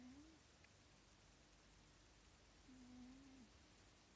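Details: Low, soft whistling snores from a sleeping Scottish Fold cat named Nelsik: one short rising note, then after a pause a longer level whine that dips at its close, set against faint steady hiss.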